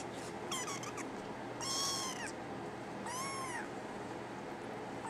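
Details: Brown tabby and white male kitten giving three thin, arching meows spaced about a second apart over a steady background hiss.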